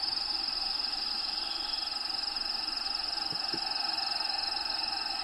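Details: Cricket trilling inside a bearded dragon's vivarium during feeding, a continuous shrill pulsed buzz held without pause, layered over steady droning hum and two soft low taps near the end.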